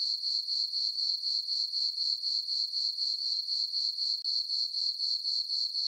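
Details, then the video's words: Crickets calling through a peaceful full-moon summer night on a farm meadow, a bright high-pitched chirping trill repeated in regular bursts about four times per second, with a momentary dip partway through. "Cricket chirping sounds for sleeping"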